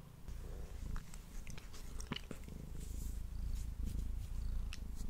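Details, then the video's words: Male cat purring while eating, picked up by a Blue Yeti microphone; a throaty low purr pulses steadily beneath quick, clicking chews and moist smacks, growing slightly louder in the second half. "Cat Purring and Eating Sounds"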